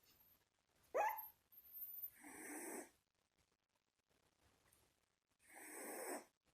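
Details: A one-month-old Shiba Inu puppy sleeping: a short high squeak, then soft, breathy snoring rasps, each lasting about a second, with quiet pauses between.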